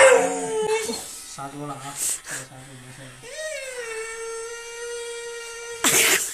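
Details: Siberian Husky protesting a shave with one sustained wail that rises briefly and then holds steady for about two and a half seconds, after people's excited chatter and short yelps at the start.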